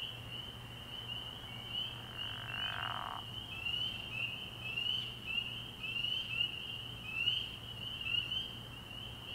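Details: Early-year night recording of spring peepers at a frog pond: a shrill continuous chorus with individual rising peeps standing out every second or so, plus a brief lower rasping sound near the start.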